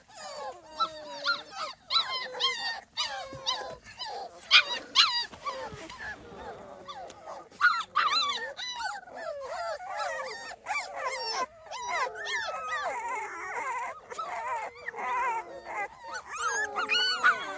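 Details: Two-and-a-half-week-old Small Munsterlander puppies outside for the first time; many pups whine and squeal together in jittery, wavering cries, brief quieter gaps between busier bursts of overlapping calls.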